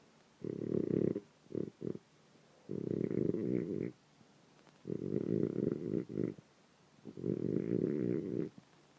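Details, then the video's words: French Bulldog snoring in its sleep in the morning: four long, gravelly rasping snores with short sputtering snorts between, repeated every two to three seconds in a quiet room. "Sleeping snoring French bulldog"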